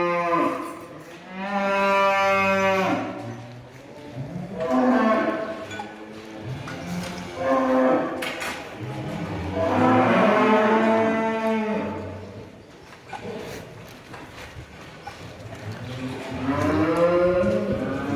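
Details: Pregnant Danish Red heifers, a purebred dairy breed, at a Turkish farm. Loud, strongly harmonic moos rise and fall in a run of about five calls, each lasting two to three seconds, with short gaps and faint barn noise between them.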